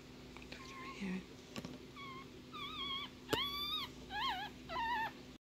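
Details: Newborn female Yorkshire Terrier puppy, black, one of a litter of five, crying with a run of thin, high squeaks and wavering whines, about six short cries rising and bending in pitch, over a steady low indoor hum.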